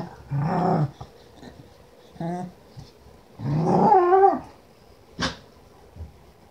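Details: Khushi, a female Keeshond dog, playing indoors: short low growls, then a longer wavering, rising-and-falling moan with harmonic warble, a brief sharp click and a faint final grunt, quiet room between sounds.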